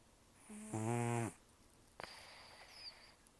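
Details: One rough snore from Taro, a sleeping rescued cat estimated at 10 to 14 years, toothless from gum disease: a short grating inhalation, then a faint hissing exhale through the nose.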